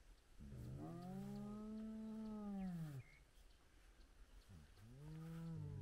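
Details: Spotted hyena at a den site with cubs in a large clan, morning: a long low arched moaning call rising and falling over about three seconds, then a second shorter call, faint bird notes in the background.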